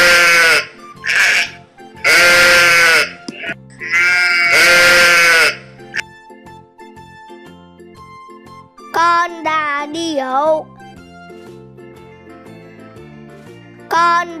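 Sheep bleating in loud, quavering bursts over soft background music.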